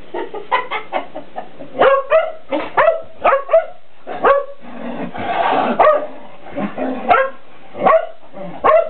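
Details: Two house Shelties horsing around with a cat toy as a cat dodges them; quick, clipped barks in an uneven series with a noisy scramble of movement partway through.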